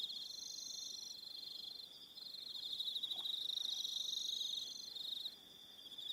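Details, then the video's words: Aroha Island, New Zealand, in the evening: crickets keep up a shrill rapid pulsing trill, joined by a higher, wavering trill in bursts, and one brief lower sound midway through. "1 Hour Relaxing Evening Sound of Crickets"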